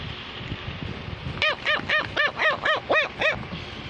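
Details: Cavalier King Charles Spaniel barking to tell its owner something: a rapid, even run of eight bright barks, about four each second, after a quiet start with low background rumble.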